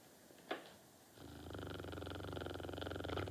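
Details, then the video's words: Norton the dog in sweet sleep, snoring with a fast regular rumbling pulse that builds from about one second, after a brief soft click near the start. "Norton, La dure vie d'un chien"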